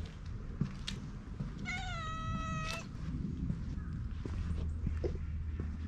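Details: Stray cat following a lone middle-aged man outdoors, recorded on a GoPro HERO8, gives a single drawn-out meow of about one second, steady in pitch with a slight dip, over a constant low rumble and scattered clicks.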